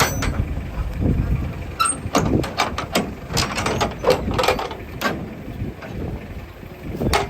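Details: Vehicle and metal clatter dominate, with a truck engine rumbling, doors and gates banging in repeated sharp knocks, and scraping sounds, but no animal vocalisation is audible.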